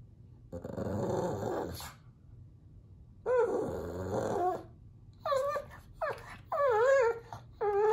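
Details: Pug whining and growling indoors at puppies playing on television: a long low grumbling whine, a second drawn-out moan, then several short rising-falling yelps in quick succession toward the end.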